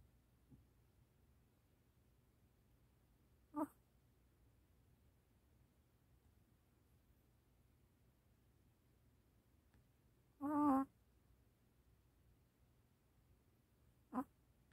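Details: Sleeping puppy Gureum making three brief whimpering babbles, one longer wavering squeak in the middle, against a low steady hum of a quiet room.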